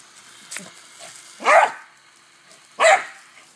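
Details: Dog that loves water barking while playing with a garden hose: a faint short yap, then two loud, harsh barks about a second and a half apart, with quiet background between.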